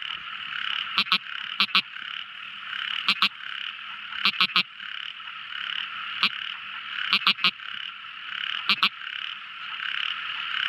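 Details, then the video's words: At night a tiny frog gives crisp clicking notes in short bursts of two to four, separated by pauses of a second or more, above a continuous buzzing night chorus. "Amazing Sweet Sound Tiny Frog Crying | Never Listening So Beautiful Frog Song! At Night Time!"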